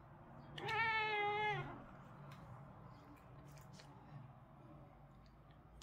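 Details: A British Shorthair cat gives one drawn-out, slightly wavering meow during the day.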